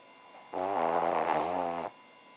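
A Cavalier King Charles Spaniel gives a low, rattling snore lasting just over a second.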